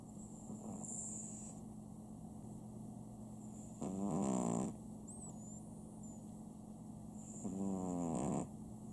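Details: Sam, a pet Chihuahua at home, snoring. Two low, rasping, harmonic breaths swell and fade about four seconds apart over steady room hum, with a faint high whistle between them.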